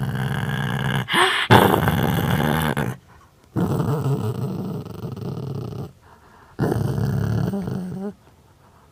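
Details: Pet dog indoors making funny growling noises: three long, rough, low rumbling growls of about two seconds each, separated by short quiet pauses, some ending in a slightly rising whine-like tone.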